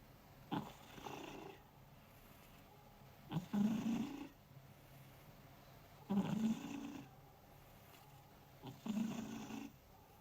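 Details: Domestic cat asleep beside someone working, snoring steadily: four slow rasping breaths about every two and a half to three seconds, each a low rough rumble with a brief airy tail, quiet room between breaths.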